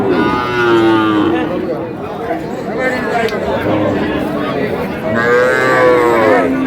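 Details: Cattle market in Gaibandha, Bangladesh, 10 August, with farmers bargaining over cows: two long, sliding moos about four seconds apart, the second rising then falling, amid continuous men's voices and bustle.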